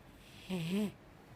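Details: Single soft snore from a sleeping five-year-old female Mastiff, a half-second low hum that bends upward slightly with breathy hiss above, set against quiet background.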